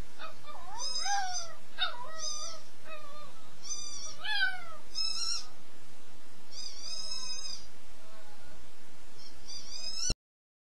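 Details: A little wolf howls, short wavering howls and yips that rise and fall, with several voices overlapping.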